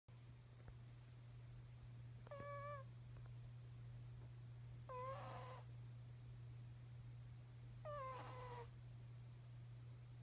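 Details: Snoring cat: squeaky, whistled exhalations that fall in pitch, repeated about every three seconds, over a steady low hum.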